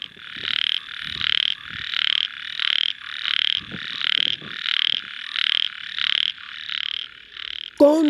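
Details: Ornamented pygmy frog (Microhyla fissipes) in Hong Kong, where a mating pair was seen, gives a steady series of about eleven rasping, buzzy croaks, one every 0.7 seconds; males call to attract mates and warn rivals off territory.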